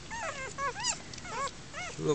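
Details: German Shepherd puppies in a makeshift outdoor den with their first-time mother, crying in thin arched squeals, several overlapping in quick succession, one sharper squeak near the end.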